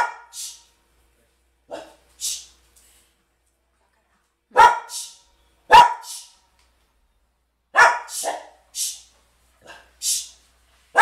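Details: Two timid mixed-breed sister dogs from the countryside, living in a townhouse, barking at children playing outside the home; sharp repeated barks in loose bursts of two or three, with pauses between groups.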